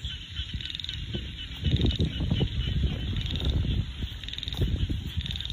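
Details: Frogs calling in a countryside rice field: a dense chorus of low, throaty croaks overlapping in uneven bursts, with a steady high insect-like drone running throughout.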